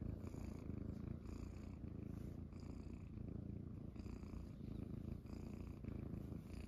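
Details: Morning indoors: Munchkin kittens resting on a belly purr in a low, pulsing rumble that swells and eases in gentle waves, close and constant.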